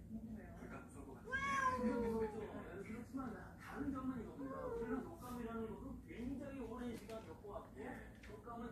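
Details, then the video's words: One of a shed cat family that has come into the house gives a clear, drawn-out, falling meow, followed by shorter mews while human voices talk alongside. "창고 고양이 가족^^ / 집안으로 들어온 고양이들 ^^"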